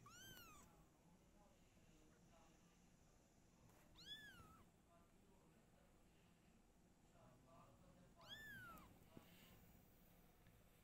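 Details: Household cat family: mother Silky, her kittens and the father. Three clear, bowed meows are spaced about four seconds apart, each rising then falling, with quiet background murmur.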